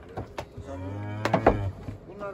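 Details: Simmental heifer from a livestock market, handled while being loaded onto and off a truck to go home. A low, steady moo of about one second, broken by sharp knocks and thumps, with voices nearby.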